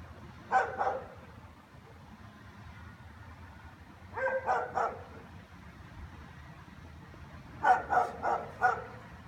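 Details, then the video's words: German Shepherds barking all afternoon, loud enough to hear indoors with windows shut: three bursts of two to four rapid barks, spaced roughly three to four seconds apart, with low background hum. "German shepherds barking"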